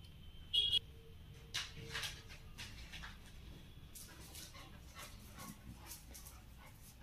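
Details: Labrador Retriever, one of the dogs Tom, Mona, Ruby and Sona, in the evening: a brief high whine near the start, a softer whimper around two seconds, then scuffling and shuffling noises.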